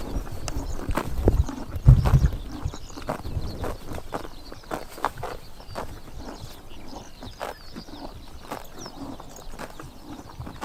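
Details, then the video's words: Several horses eating grass on a summer morning, Tuv province, Mongolia; rapid crunching and tearing at about four bites a second, loudest early on, then softer steady chomping against quiet open-air ambience. "Horses eating grass in summer morning / chomping noises"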